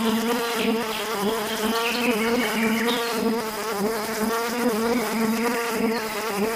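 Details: Continuous droning hum of a bee, low and steady with a slight wavering in pitch, no pauses throughout.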